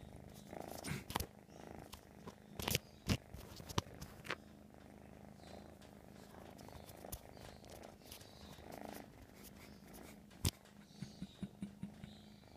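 An American Shorthair kitten purrs steadily, a low continuous rumble broken by a few soft clicks and rustles.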